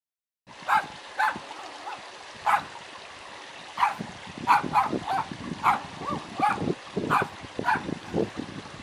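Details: Dog barking, a real sound used to teach toddlers animal noises: short sharp barks at irregular intervals, denser toward the end, over a steady background hiss.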